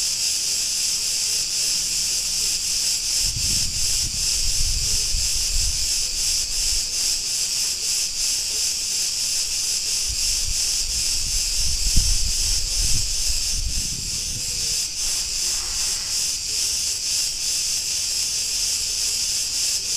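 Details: Chorus of Cretan cicadas recorded in a street of Ierapetra, Crete, Greece, a steady high sizzling drone with fast rhythmic pulses, and faint low street rumble in the background.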